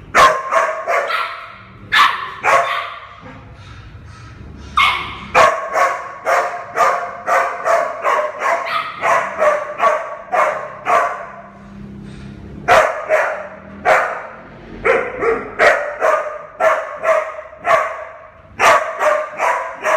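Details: Barking from Minnie Mouse, an 11-month-old mixed breed adoption puppy: near-continuous sharp, mid-pitched barks with a few short pauses, some yappier and higher, with low background rumble.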